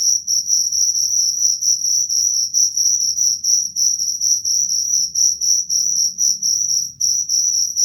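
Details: Cricket calling with rapid, piercing chirps, roughly four pulses each second, loud and continuous over a soft low background hum.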